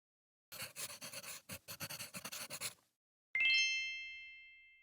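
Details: Pet Holland Lop rabbit snoring while asleep: a quick run of soft, breathy, rhythmic puffs about four per second for two seconds, followed by a ringing chime that fades slowly.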